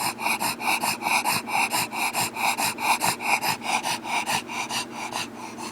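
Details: Bulldog panting hard and fast, roughly two noisy snorting breaths per second, hissy and raspy throughout, very even rhythm.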